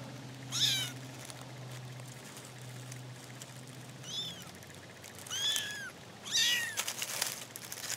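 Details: Kittens from a newly found litter of four mew repeatedly, four short high arched cries spread over eight seconds, over a low steady hum and some background noise.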